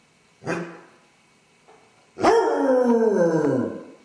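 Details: Basset Hound left by itself with separation anxiety: a short faint yelp, a moment of quiet, then one strong, long howl that slides steadily downward for over a second.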